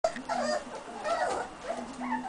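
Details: Buff American Cocker Spaniel puppies whining together in high, wavering squeaks, several overlapping thin whimpers with short pauses.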